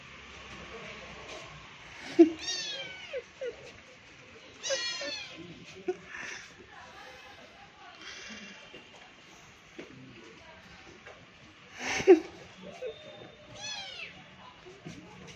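Kittens give thin, high mews that sweep upward, repeated every few seconds.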